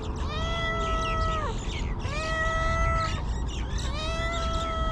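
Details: Stray cats living homeless in Ras Al Khaimah, UAE, give three long, even meows that end with a falling tail, roughly one per second, with a constant low rumble in the background.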